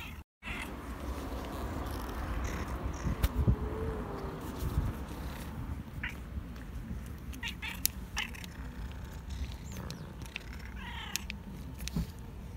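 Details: Street cat asking for food outdoors, giving a short rising-falling meow near the end, heard over steady low traffic rumble, scattered clicks and taps, and faint human voices.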